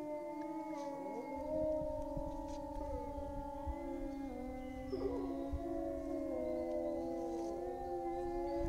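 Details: Chorus of grey wolves in France, found after a long search: many drawn-out howls overlap continuously, steady low tones held beneath wavering higher ones, a brief yelping break in the middle.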